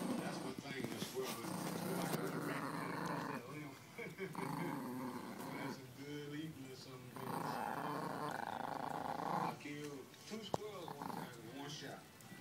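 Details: Male Chihuahua guarding his toy monkey from other dogs, growling in long, rumbling stretches that rise and fall for several seconds at a time, with short pauses; a person talks in the background.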